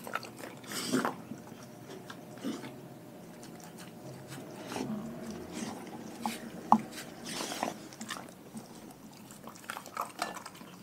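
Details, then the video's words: Raw-fed dogs chewing: sparse, separated crunches and snaps over a quiet background, with a few loud bites standing out and softer gnawing between them. "Dogs Eating Raw Food"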